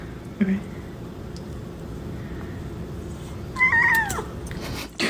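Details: Domestic cat from a comedy compilation of cats: one brief meow near the end that slides downward in pitch, against a quiet, low background hum with a faint click before it.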